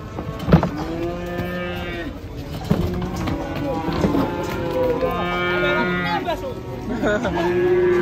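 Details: Several cattle low in succession, steady drawn-out moos with rich harmonics, a sharp bang at the start and a few knocks between calls.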